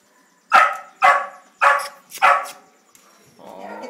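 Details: Puppy from a litter at a rescue gives four sharp, high yapping barks, about half a second apart.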